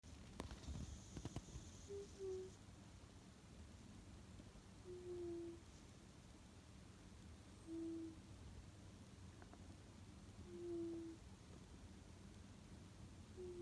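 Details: Tsukkun, a pet cat, snoring in sleep, which it rarely does: thin whistled tones, each slightly falling, about every three seconds over a low steady indoor hum.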